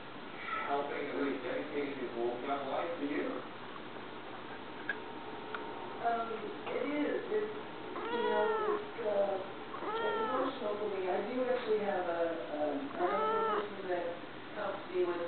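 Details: Tizzy, a foster kitten with the CAAWS rescue, talking for the camera indoors: a string of arching, mid-pitched meows from about six seconds onward, several in quick succession, with people talking in the background throughout.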